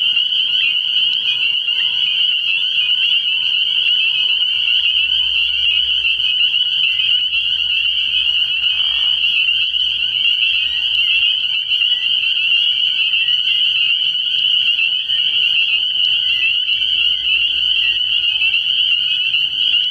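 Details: Spring peepers calling in a dense chorus at a frog pond at night early in the year, a continuous shrill band of high overlapping peeps with a brief lower rasping burst near the middle.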